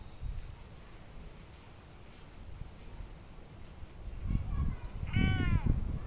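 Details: Stray cat in Japan giving a short, clear meow with stacked harmonics near the end, after a fainter meow, over steady low rumbling background noise.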